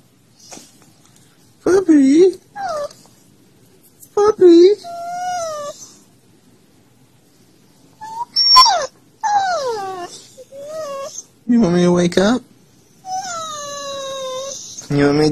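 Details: Siberian Husky vocalising to get its owner out of bed, maybe from hunger: a series of short, bending whines and yelps, several sliding down in pitch, in bursts separated by brief silences inside a small room.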